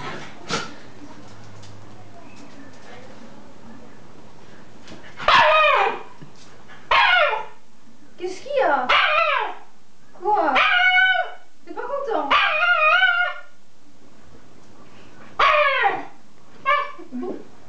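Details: A Shiba Inu screams in conflict with the owner's daughter, giving loud, strained yelping vocalizations in short bursts, with a person speaking early on; recorded 5 August 2012.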